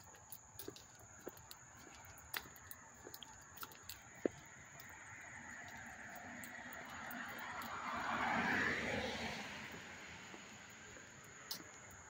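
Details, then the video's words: Crickets chirping up close in Hastings-on-Hudson, New York, on August 13, 2024: a steady, high, unbroken shrill trill runs throughout while a car swells past and fades midway, with faint clicks scattered early on. "the chirping of the crickets"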